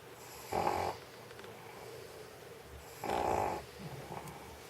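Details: Snoring of an old stray dog dozing on a heated studio floor in Sheregesh after eating sausage: two short grating inhalation snores spaced about two and a half seconds, low room noise between.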